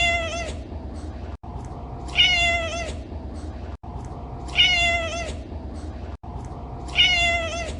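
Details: Pet cat mewing repeatedly, four clear tonal meows spaced a little over two seconds apart, each bright with strong overtones and a slight downward bend, steady low hiss filling the gaps.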